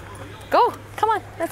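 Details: Sojou, a nervous 7-month-old female Alaskan Malamute puppy, being coaxed into a lake to cool off on a hot day at the St Anne De Bellevue car show; two arched, wavering whines, then a short third, under a steady low hum.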